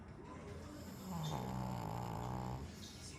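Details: Pug snoring: a single drawn-out, low, buzzy snore lasting about a second and a half, rising in the middle and fading away, over a quiet background hiss.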